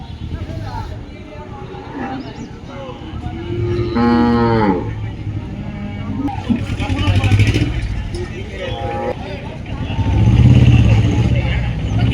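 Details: Livestock at the Dhaniakhali cattle market, held each Friday: one short, harsh moo partway through, surrounded by heavy vehicle engine rumble, revving and scattered human voices.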